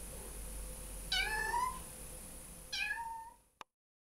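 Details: Two clear, high-pitched meows from playful ginger kittens, each bright at the start and sliding down, about one and a half seconds apart, before a sharp click and silence.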